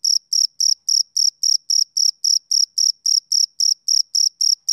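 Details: Shrill, regular chirps of a male cricket at summer dusk: bright, high-pitched bursts repeated roughly every quarter second in a steady beat, clean and free of other noise.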